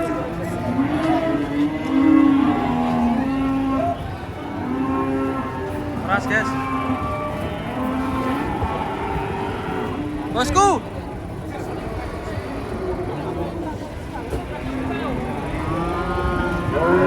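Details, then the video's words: Enraged cattle being unloaded from a truck: repeated long, low, harmonic bellows and moos throughout, with excited shouting people warning of danger, bursts of background music, and vehicle noise. "SAPI LUCU NGAMUK TURUN DARI TRUK"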